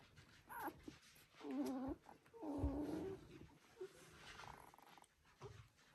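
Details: One-week-old Border Collie puppies from the "U2" litter of Selen and Max give two clear, harmonic squealing whines, the second longer and wavering, along with faint shuffling and a short squeak near the end.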